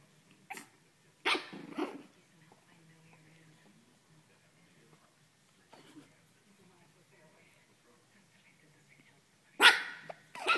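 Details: A Pekingese named Daisy playing with a blanket gives a few sharp, high barks with long quiet gaps between them, sounding feisty.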